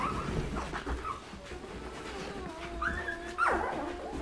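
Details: Nine-day-old Irish Setter puppies eating in October 2016, their mother checking on them; thin whining squeaks rise and bend near the end, over low rustling and murmuring background.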